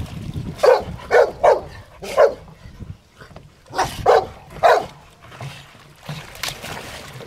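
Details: Playing in water, Rottweilers bark in two bursts: three quick barks, a single bark, then a pause before three more, with faint splashing between.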